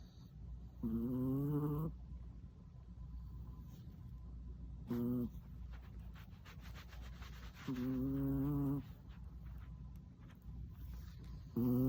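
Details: Soft recurring snores from Tuna, a male Chihuahua of four, asleep with tongue out after a long walk: short low hums roughly every three to four seconds, some brief, some about a second long, over faint room noise.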